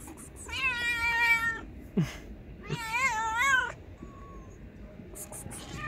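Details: Loud, cheeky stray cat met on the street gives two long drawn-out meows, each about a second long, with wavering rich harmonics; brief clicks and handling noise between and after the calls.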